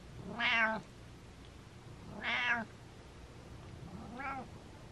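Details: Domestic cat named Butters meowing in rapid fire indoors: three drawn-out, harmonic-rich meows, each under a second, spaced about two seconds apart, the last one softer.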